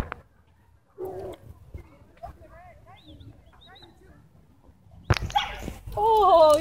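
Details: Dogs in a group of five or six with a dog walker, chasing a Beagle; faint scattered whimpers give way to a sudden burst of noise and a loud, wavering, rising and falling whine at the end, with a voice nearby.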